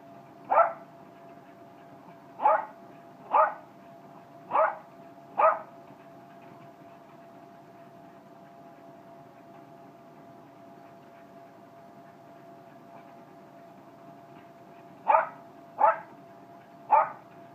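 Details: Jack Russell terrier during a cardio workout, giving short single barks: five spaced over the first six seconds, a long quiet gap, then three more near the end, over a steady background hum.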